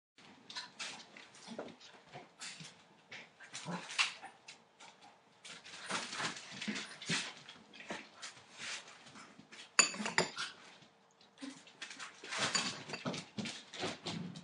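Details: Litter of eight-week-old Entlebucher Mountain Dog puppies, born 28 December 2013, heard indoors: short whimpers and yips scattered among busy scuffling, pattering and clattering bursts, with a steady faint hum underneath.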